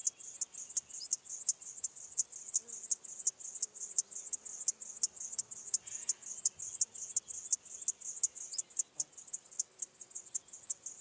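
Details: Locomotive Grasshopper (Chorthippus apricarius) singing in Moosham, Austria, on 9 October 2020: a sustained run of sharp, very high scraping syllables repeated almost three times a second, regular throughout, in a quiet setting.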